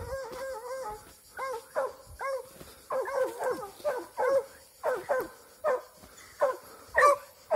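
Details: Barking from an eight-month-old Plott hound amid a standoff, release and fight: loud ringing barks with rising-then-falling arcs, first spaced, then quickening to roughly two per second, with a faint high insect-like hiss behind.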